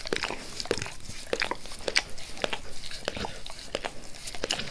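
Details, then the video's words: Max, a dog who always wants to lick his owner's face, slurps away in a small room: moist clicking licks arrive at a brisk, uneven pace, roughly two each second, with no voices. "Max Licks | Face Part Tres | ASMR DOG LICKING"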